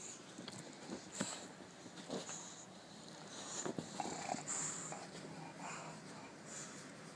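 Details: An English Bulldog chilling out, giving short, breathy, noisy snorts and sniffs at uneven intervals, about one each second, with a faint background hiss.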